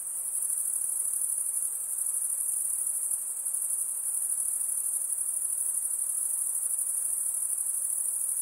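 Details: Insects keep up a piercing, even, high-pitched drone, level in loudness throughout, with only faint low background noise.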